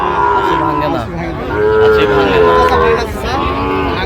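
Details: Sahiwal bull calves for sale at a Sylhet market in Bangladesh, 26 September 2025; drawn-out harmonic moos, the first falling away and a longer one swelling after, with men haggling over prices in the background.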